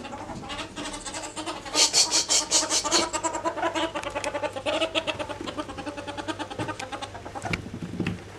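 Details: Pair of ferrets locked in an alligator roll during a dominance struggle, giving loud, rapid, rhythmic chattering pulses that peak early and then continue unevenly, with a constant low hum beneath.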